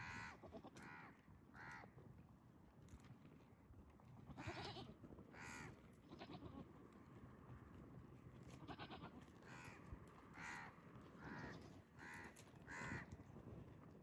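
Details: Goats in mating season, males courting pregnant females while they graze outdoors; about a dozen short, harmonic, nasal bleats come at uneven intervals across fourteen seconds over a steady rustling background.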